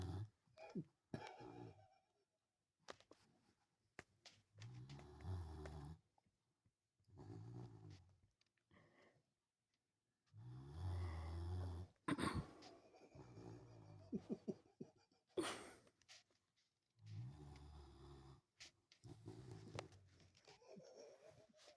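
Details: Sleeping dog snoring indoors, low rumbling breaths in rough bursts about every two to three seconds, some with a growly rasp, with brief clicks and rustles between.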